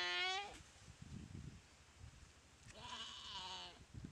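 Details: Goat attacked by a Komodo dragon in a dry river at Komodo Village; the tail of one bleat opens, then a fainter, rough bleat follows amid low rumbling noises and a steady background hum.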